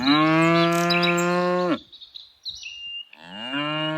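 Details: Tame cows on an afternoon herding walk: a loud, level moo lasting nearly two seconds, a gap with bird chirps, then another moo beginning.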